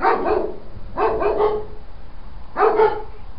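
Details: Dogs kept in a wooden shed bark at 3:30 am, 10 August 2012: three quick clusters of rough, doubled barks about a second apart against a quiet night background.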